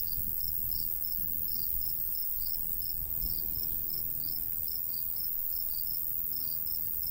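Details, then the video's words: Summer countryside crickets by a golden wheat field: bright, high chirps pulse in loose clusters throughout, set against a constant shrill background hiss and a soft breeze rumbling low. "Countryside/cricket sounds"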